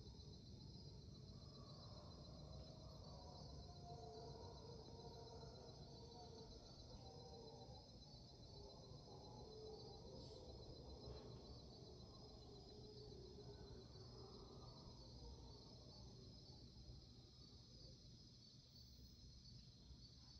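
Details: Mantled howler monkeys giving their dawn chorus in Panamanian rainforest at 5am, recorded March 8, 2023: distant, rough, droning roars rise and fall over the first fifteen seconds, beneath a steady high insect whine and low background rumble.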